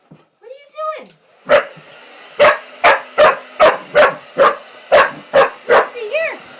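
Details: Female Pitbull-Corgi mix dog indoors reacting to a hair dryer: a short whine, then about ten sharp, loud barks at a fairly steady quick pace, ending in a rising whine, over a low steady hum and people talking.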